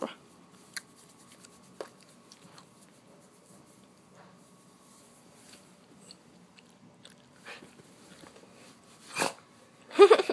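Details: Pet dog indoors sneezing when petting stops: a quiet room with soft handling noises, then two short, sharp broadband bursts near the end, the second louder and followed by a brief snort.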